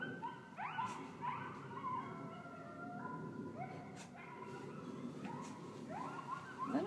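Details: Several coyotes howl and yip together outside a window in Ontario, Canada, in high, wavering, overlapping cries that rise and fall; a pet dog may bark.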